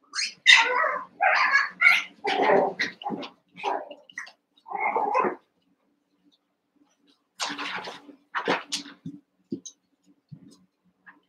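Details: Cavalier King Charles Spaniel puppies, eight together in a pen, wrestling and playing: a rapid run of high, yappy barks and yips for about five seconds, a pause, then another burst of sharp yelps trailing into softer squeaks.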